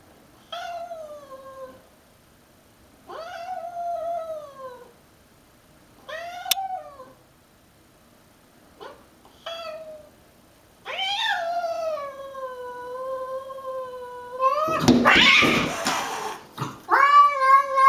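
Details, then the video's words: Pet cat Pancakes fighting a stray cat: drawn-out wavering yowls repeated every few seconds, rising and falling, with a loud noisy hiss or scuffle burst near the end followed by a further yowl. "Pancakes battles a stray!"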